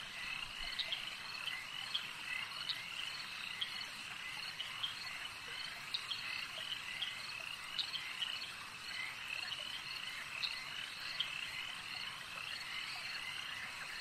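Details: A lake's frog chorus, steady overlapping high croaks with distinct short sharp calls repeating every one to two seconds over a continuous trilling background.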